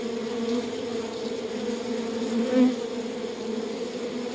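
A dense, steady hum of many honey bees buzzing together in a hive.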